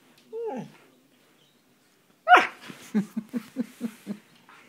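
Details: Siberian Husky playing with a hand that attacks him, a game he loves; a short falling whine, then a sharp yelping bark followed by a run of about six short rhythmic grumbling vocalisations in a quiet indoor room.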